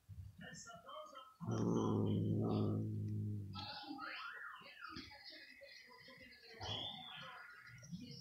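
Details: Mother cat indoors in front of the TV with her daughter, annoyed and nervous as the daughter licks her. A low, rough, buzzing growl lasts about two seconds amid softer rustling and faint household sounds.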